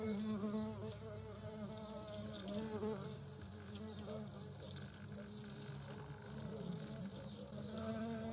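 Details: European hornets, a queen and workers at their nest in the Eifel region in 2022, buzzing steadily: several overlapping low drones that rise and fall slightly in pitch.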